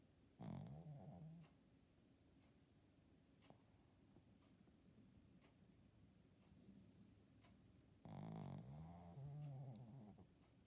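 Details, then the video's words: A sleeping pet Shih Tzu snoring: two low, throaty, harmonic groaning breaths about eight seconds apart, each lasting around a second, with quiet rhythmic breathing between them in a still room. "Snoring Shih Tzu"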